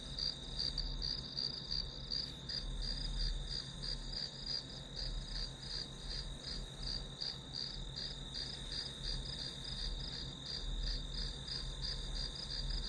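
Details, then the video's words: Grass insect chorus used as study background noise, a continuous high shrill tone carrying rapid regular pulses, about three per second, above a steady low-pitched hum. "풀벌레 소리"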